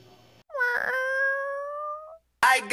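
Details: A pet cat gives one long, loud meow lasting over a second, starting with a slight rise and then holding steady in a drawn-out, slightly falling wail, followed by a brief gap and a sharp noisy burst.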